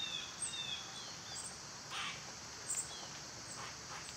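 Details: Cicadas drone without pause on a summer day, a flat high-pitched buzz, with a few faint bird notes and short rustling sounds mixed in.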